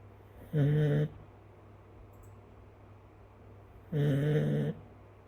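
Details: Chinese rural dog sleeping and snoring, heard snoring for the first time: two short, low, nasal snorts about three seconds apart over a steady low hum.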